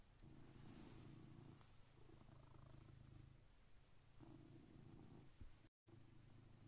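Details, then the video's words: Blue British Shorthair cat purring at 6am while waking its owner, a steady low rumbling purr in long phrases matching each breath, with a brief dropout near the end. "My 6am Cat Alarm"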